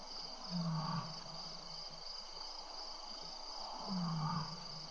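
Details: Seven playful, well-fed lions at a lion cam in Tembe around 6 PM on April 22, 2013: two deep, low moaning grunts about three seconds apart over steady hiss and a high insect-like whine.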